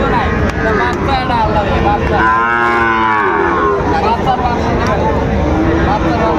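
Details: Sahiwal bull calf, four months old, for sale at Raniganj market, Dinajpur, 29 August 2024; one strong, rich bellow swells and fades in the middle, with fainter lowing and crowd voices around it.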